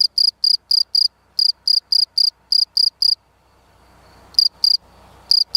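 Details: Shrill, high-pitched chirps of a field cricket, about four per second in an uneven run, then a pause with faint low rumble before a few more chirps resume.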